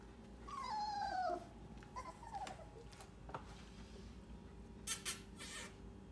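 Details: English Cream Golden Retriever puppies indoors: one clear high whine sliding downward over about a second, followed by scattered faint clicks and small rustling noises with a low steady hum underneath.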